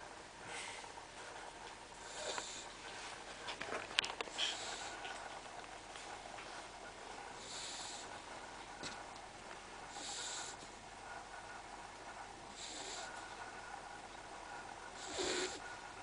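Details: Sandy, a pet dog, snoring loudly while asleep with her head hanging out of the bed, recorded 4/10/09 indoors; breathy rasping bursts recur roughly every two to three seconds over a steady background hiss.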